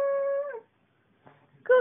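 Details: Female cocker spaniel, aged seven, at home in Thomasville, North Carolina, singing on request: a level, held howl that fades out, a short pause, then a fresh howl beginning.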